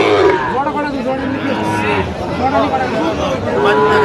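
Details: Sahiwal bull calves at a livestock market in Bangladesh on 29 November 2025, bought by a Dhaka farmer: deep, drawn-out lowing moos overlapping one another, under steady crowd chatter and men's voices.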